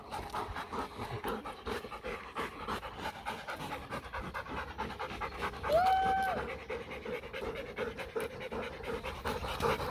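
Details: Playful German Shepherd and Labrador cross panting hard through a play session, rapid rhythmic breaths about three per second, broken by one short high whine midway.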